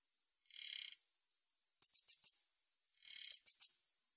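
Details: High-pitched stridulation of Min's bush cricket, 2020 National Institute of Biological Resources recording: a smooth half-second buzz, then four sharp separate pulses, then another buzz ending in quick pulses, with no other sounds.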